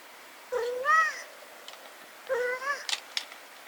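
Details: Brown tabby cat Riki gives two drawn-out, voiced yawns about two seconds apart, each a rising, nasal, harmonic-rich moan that levels off and fades. Soft clicks follow in an otherwise quiet indoor setting.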